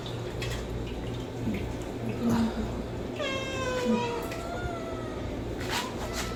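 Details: A homeless cat's kitten gives a high, drawn-out meow, asking for food, over a low steady hum.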